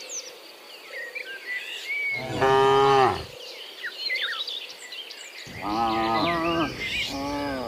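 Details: A herd of dozens of cows heading home from the fields to the pen one afternoon; one long loud moo, then two shorter, wavering moos close together, while birds keep chirping behind.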